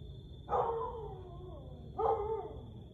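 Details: Night howling of a Siberian Husky at 1:49 am, 30 May 2021. Two drawn-out, downward-gliding, richly harmonic wails, each near half a second, spaced about a second and a half apart, with a constant faint high tone behind.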